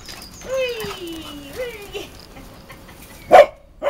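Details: Playing Cavalier King Charles Spaniel dogs: a long high whine slides steadily downward, a brief second whine rises and falls, and a sharp yip or bark ends it.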